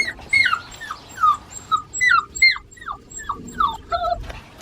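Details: Seven-week-old Australian Shepherd puppies from a registered breeding farm whimper and yip in a steady run of short, falling, high-pitched squeals, one after another, with several overlapping voices.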